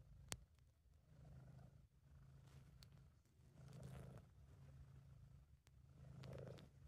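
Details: British Shorthair cat purring while content, amateur recording: low, even rumbling purr pulsing with inhale and exhale about every two to three seconds, plus a sharp tap near the start and occasional light clicks.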